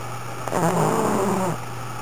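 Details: Sakura, a veteran pug, snoring loudly: one drawn-out, low, buzzy snore lasting about a second, with a steady low electrical hum underneath.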